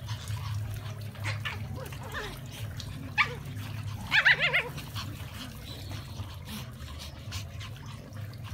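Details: Brussels Griffon dogs on the hunt, one brief yip followed a second later by a quick cluster of shrill, wavering yelps, with a constant low rumble underneath.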